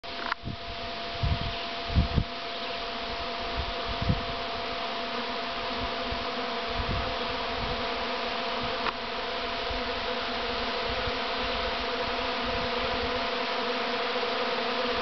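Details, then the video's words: A swarm of bees fills the air with a dense, continuous droning buzz; steady tonal hum lines run throughout, with a few low thumps and knocks in the first seconds. "AUGH!!! BEES!!!"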